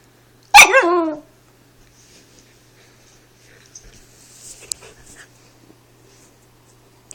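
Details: Four-month-old Siberian Husky puppy with the hiccups, complaining; one sharp, falling, harmonic yelp near the start, followed by quiet rustling and soft handling noises.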